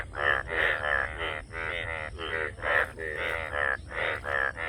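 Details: Frogs calling: a rapid series of short, harsh, harmonic-rich croaks, about three per second, overlapping as if several animals call together, over a steady low background hum.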